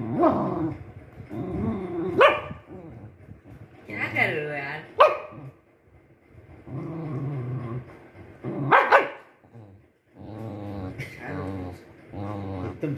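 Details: Spitz dog giving a mix of barks, growls and whiny, harmonic yelps in uneven bursts, with some sharp bark onsets among the drawn-out growling sounds.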